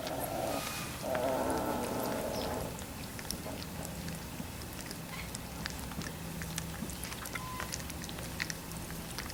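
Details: Three-week-old Labrador Retriever puppies: a pair of drawn-out, harmonic whines fill the first two to three seconds, then quieter shuffling with faint scattered squeaks and a low hum.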